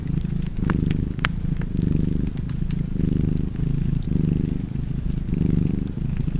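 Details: Low, continuous purring from a cat, pulsing in breath-length waves a little over a second apart, over a backdrop of fireplace crackle and occasional loud pops.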